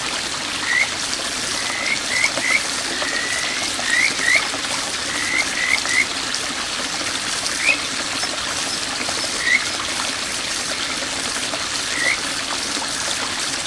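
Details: Kajika frogs (Buergeria buergeri) at a small village stream in Bōsō, Japan, in June 2023 give short, rising, bird-like whistled notes over a steady rush of stream water.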